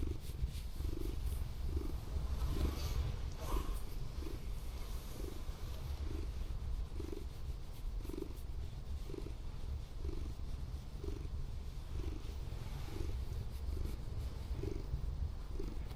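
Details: A relaxed Scottish Fold cat, a former rescue, lying with its tongue out during an overnight car stay at a disused port, purrs loudly: a deep, steady rumble pulsing with each breath.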